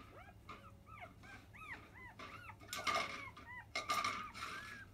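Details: Five-day-old field-line Labrador Retriever puppies from biscuit's litter at 10 a.m. nursing give high arched squeaky whimpers about once a second, with wet rustling and clicking bursts between them.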